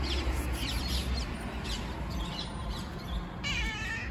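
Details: A fluffy cat, one of the homeless cats fed near home, gives several short meows, then a longer wavering, tonal meow at the end, all over a steady low rumble of road traffic.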